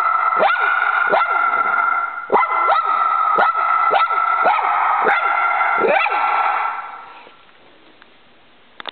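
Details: Choco, a dog, barks rapidly at a squirrel outside, a string of about ten sharp yelps over seven seconds, then fading into near silence with a faint sound at the end.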